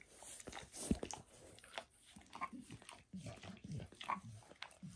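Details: Indoors, a pet dog licks and grooms, working over its paws and a person's foot. Short moist smacks and tongue clicks come in uneven groups over a faint hiss, with no speech.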